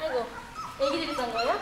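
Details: Seventeen-day-old puppies newly brought into a dog café let out wavering, rising whines and squeaks, mixed with people talking close by.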